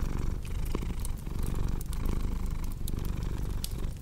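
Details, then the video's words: Cat purring in a continuous deep buzzing drone that dips briefly between breaths, layered over the dry snapping crackle of a fireplace. "Purring Cat with Cozy Crackling Fireplace Sound"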